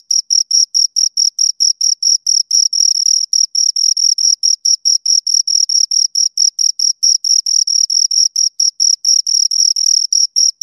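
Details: Two crickets chirping nonstop: short, high, clean pulses at about four per second, each with a bright shrill tone and a fainter higher overtone, steady and rhythmic over a silent background.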